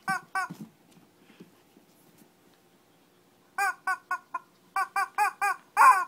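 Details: Mini fight of a Shih Tzu in Kochi, Japan: two yaps open, then soft low grumbling, then a fast string of clipped, high barks ending in a louder, harsher bark.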